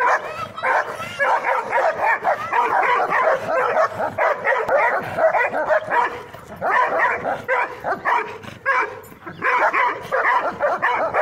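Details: Dogs, a Kuchi facing a German Shepherd and a labrador, bark in rapid, dense, overlapping bursts, sharp and harsh, almost continuous for eleven seconds with only brief pauses.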